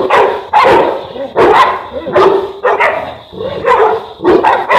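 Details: Enzo and Diva, a Boerboel (African Mastiff) pair kept in Egypt: heavy, hoarse barks come in uneven bursts roughly every half to one second, each bark full and booming with a rasping edge.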